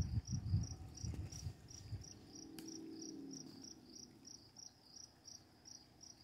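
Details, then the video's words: Crickets calling at night beside running water with quiet lightning: a steady series of short, high, clicking chirps, roughly three per second, over a low rushing rumble that is strongest in the first two seconds. "Crickets, Running Water, Night Sounds and Quiet Lightening in the Dark"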